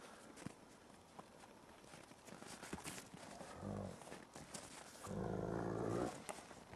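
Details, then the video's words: Ambassador gray wolves in daily dominance interactions, 15 December 2008: two low, harmonic growling bursts, one short and one longer and louder, over scuffling, footsteps and outdoor noise. "Dominance Interactions between the ambassador wolves"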